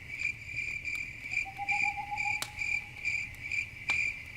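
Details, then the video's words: Crickets chirping at night beside a campfire, a steady high trilling pulse repeated in quick bursts about twice a second, with a faint lower whistling tone and occasional sharp crackles from the fire. "Campfire At Night Ambience, Crickets, Nature Sounds"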